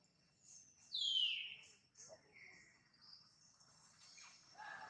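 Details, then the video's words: A loud, high squeal falling steeply in pitch comes from pregnant mother monkey Jane, followed by a quieter short squeal and faint chirpy sounds in a calm setting. "Pregnant Mom Jane showing surprise act such want to give a new life baby now, MONKEY SOUND"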